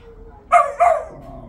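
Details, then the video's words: Bo, a pet dog, barking at his toy box: two quick, sharp barks a quarter second apart, mid-pitched with bright upper harmonics, then quiet room hum. "Bo barks at his toy box"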